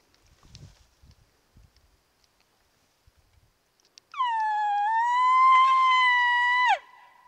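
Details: At night during the peak rut, near a mountainside wallow where people were using an elk call, a bull elk bugles a long, high, whistled tone that holds steady, then cuts off sharply.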